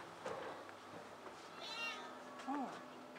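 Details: Indoor shelter cat cafe of Tokyo Cat Guardian in Otsuka, Tokyo, with adult rescued cats: a short high meow near the middle, then a lower curved call, while a woman speaks softly in Japanese.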